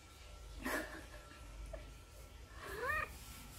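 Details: Sinbi, a neutered odd-eyed female short-legged Munchkin born July 2018, calls her owner to play with two clear meows, the second rising then falling, separated by a quiet pause with soft rustling.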